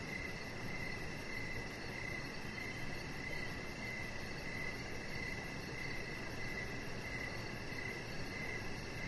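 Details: Crickets in the evening around a deck where a small chihuahua puppy rests; an unbroken series of evenly spaced chirps plus a faint, rapid high-pitched trill, set against steady low-frequency background noise.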